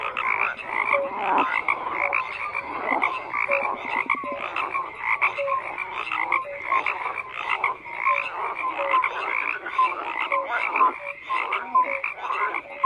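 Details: Dense chorus of many frogs croaking at once, overlapping pulsed rasps and short tonal notes layered around the middle and upper range, steady and continuous with no pauses or other sounds.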